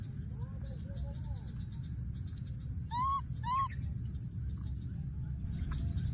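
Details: Wild baby monkey hiding in a thorny tree, calling for his friend: two loud, arched squealing cries close together near the middle, softer arched squeals earlier, over a low rumble and a steady thin high whine.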